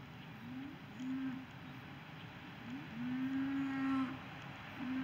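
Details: Cattle lowing: drawn-out, steady-pitched moos, a short one near the start, a longer one after a second, a long sustained moo around the middle, and another beginning at the end, over a constant background hiss.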